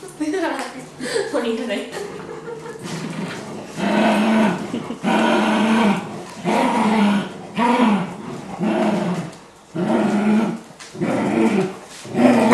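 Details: Beagle puppy Happy, playing and frustrated that he cannot reach the toy while Dinky the Labrador referees, lets out a series of groaning, growl-tinged barks roughly every second and a half, after human talk at the start.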